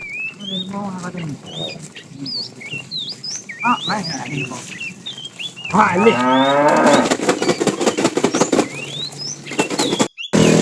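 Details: Cows from a tame herd roaming far looking for food give brief low calls. These are followed by a wavering, rising-then-falling moo over a second long, with lively bird chirps and rustling in the background.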